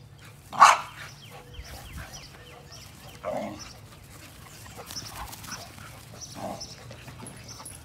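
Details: 60-pound American Pit Bull Terrier, with a 35-pound American Staffordshire Terrier also present: one sharp, loud bark near the start, a softer second bark about three seconds later, then faint scattered yaps over a low background hum.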